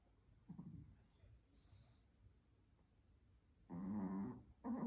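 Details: Small Pomeranian spitz snoring sweetly in its sleep, soft low snuffle early, then a loud rasping harmonic snore near the end followed by another brief snort, in a quiet room.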